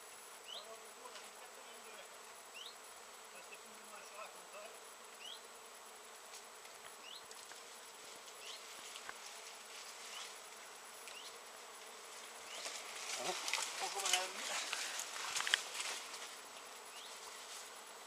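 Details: A crowd of honey bees busy on flowering Japanese knotweed in mid-September 2013, giving a continuous buzzing drone that swells louder near the end, with brief rising chirps scattered throughout.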